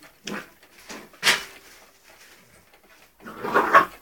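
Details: Springer spaniel puppy, 3 months old, romping with ferrets in a small room: a few short grunting growls, then a pause, then a louder whiny growl near the end.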